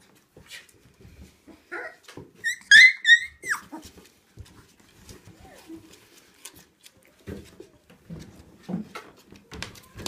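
A three-week-old Siberian Husky puppy lets out a brief burst of thin, high-pitched whimpers, some sliding down at the end. Soft rustling and low bumps fill the quieter moments around them.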